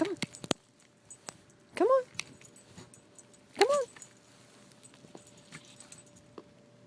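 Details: Schnauzer named Bella playing in snow gives two short yelps that rise then fall, spaced about two seconds apart, while a person urges her on with "come on" and faint clicks and crunches sound around.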